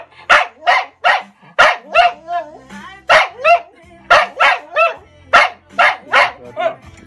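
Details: An English Cocker Spaniel "sings" along to a Ukrainian R&B song, giving short, harsh, yelping howls, about two or three each second in an uneven rhythm, over the music's sung melody.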